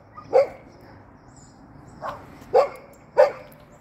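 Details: Golden Retriever, seen hopping, gives four short, sharp barks spaced irregularly over about four seconds, each a bright, clipped yelp with a quiet pause before the next.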